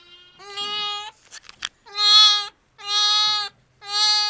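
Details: Newborn triplet lambs at Apple Pond Farm, Sullivan County, New York, October 2010, moments after birth: four clear, nasal bleats, each under a second long, about one per second, with a brief rustle between.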